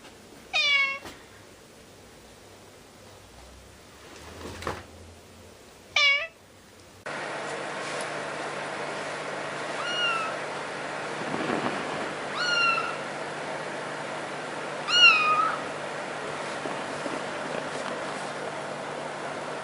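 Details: Cat giving a few sharp, falling meows early on, then fainter short mews over a steady hiss of background noise.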